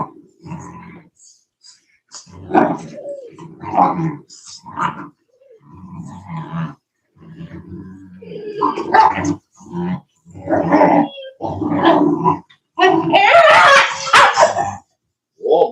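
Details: Cane Corso (Italian Mastiff) at a breeder about an hour west of Nashville, Tennessee, giving a run of short growly barks and grumbling vocal bursts in quick succession, a person talking between them, louder and harsher near the end.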